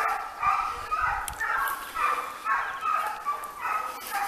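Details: Segugio Italiano hounds in training on hare: ringing, harmonic bays repeated roughly twice a second in a steady, pulsing rhythm, each note rising and falling slightly, with no other clear sounds.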